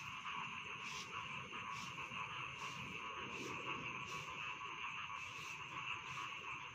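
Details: Bedtime chorus of rice field frogs: an unbroken droning trill with regular harsh croaks pulsing through at intervals under one second, and a faint low rumble beneath.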